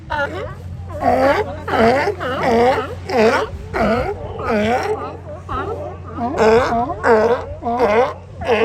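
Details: Sea lions lounging on the sand at Kiddie Beach, Oxnard, California, calling in loud, drawn-out hoarse barks repeated roughly every second, rising and falling in strength over a low background hum.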